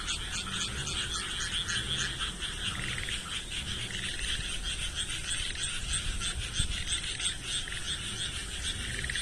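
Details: A chorus of frogs calling together, a dense pulsing trill of many overlapping voices held steadily throughout, with no pauses between callers.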